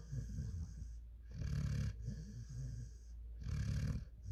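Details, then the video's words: Rocky, a five-month-old German Shepherd x African Boerboel, snoring in his sleep with low raspy breaths, two loud rumbling inhalations separated by softer wheezy exhales. "Rocky sleeping 😴 | Dog snoring 😴 |German Shepherd x African Boerboel"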